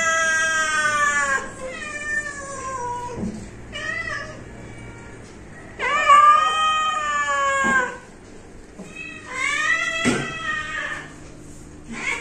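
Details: Our pet cat meows repeatedly in an uneven series, mixing long drawn calls with short chirpy ones, separated by quiet gaps and a few faint clicks or knocks.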